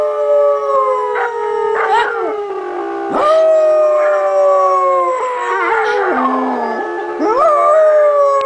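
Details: Beagle howling in long, sustained wavering tones that slide and bend in pitch, with overlapping voices suggesting more than one howler and brief yips between phrases.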